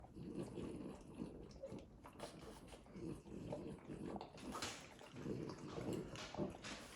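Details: Male French Bulldog licking himself while making quiet, snuffly snorts. The snorts mix with wet licking noises in a steady rhythm of roughly two per second, recorded close up indoors.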